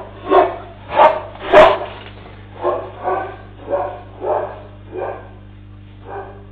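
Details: Dog on a street on the outskirts of Nairobi, Kenya, herding cattle away from a roaming lion, caught on CCTV; eight gruff barks about one per second, the first three loudest, later ones softer, with a steady low hum behind.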